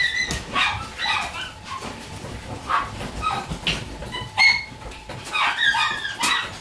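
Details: Shiba Inu puppy born on 21 September 2018 makes a string of thin, high whining squeaks and yips, some with bright tonal sweeps, scattered across the clip with a low background hiss.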